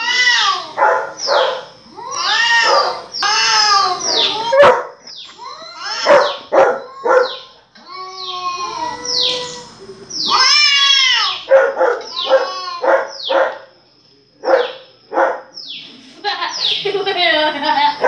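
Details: Pet dog reacting as it hears barking played back: rapid bursts of short, high yips and whimpers in clustered runs, some drawn into brief whines, with short silent gaps between flurries.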